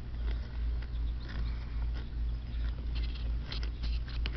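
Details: A gelded llama munches grass in its pasture pen, with soft rhythmic crunches roughly three a second over a steady low rumble, with faint birds near and in the distance.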